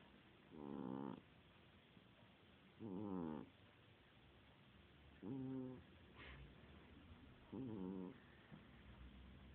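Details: Sleeping domestic cat snoring. Four rasping, harmonic-rich snores each last about half a second and come roughly every two and a half seconds. The background is otherwise quiet.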